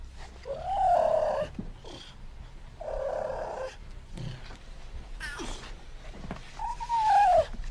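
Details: Cougar (Puma concolor), also called puma or mountain lion. Short mewing calls with mid-pitched whines rising and falling, spaced about two seconds apart, over a low background rumble.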